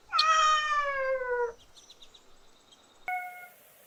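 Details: Playing kittens on green grass. One long meow slides gently downward, followed by faint high chirps and a single short bell-like ding.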